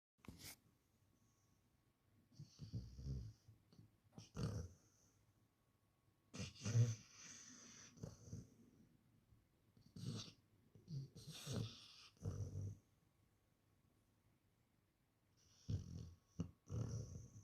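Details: Akita snoring: irregular low, breathy rumbles and snorts, some single and some in short clusters, separated by quiet gaps, with occasional hissing exhalations.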